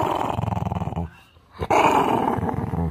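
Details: Ten-year-old Maltese dog growling indoors while siblings argue nearby: low rumbling pulsed growl for about a second, a pause, then a louder sustained growl; people talking around it.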